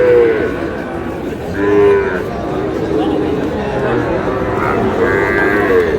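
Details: Mooing among Sahiwal bull calves at a busy market in Mymensingh, Bangladesh, on 7 July: a few sustained, slightly falling lows come and go under a continuous wash of people talking.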